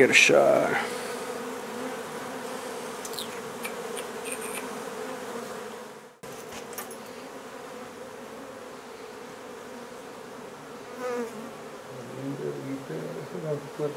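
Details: Honey bees of a nuisance hive being removed from an old home under renovation in Donna, Texas: a steady, droning buzz fills the whole stretch, opening with a sharp knock, with a brief human voice near the end.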